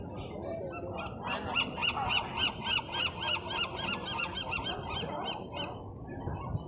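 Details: Sea lions at a den within sight of Alcatraz Island, San Francisco, California, giving a steady run of harsh, honking barks, roughly three each second, over low waterside rumble.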